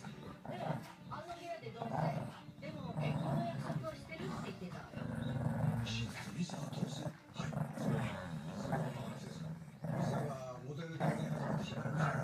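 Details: Two Shih Tzu siblings, a brother and sister, squabble with low, rumbling growls that rise and fall in bursts alongside a human voice.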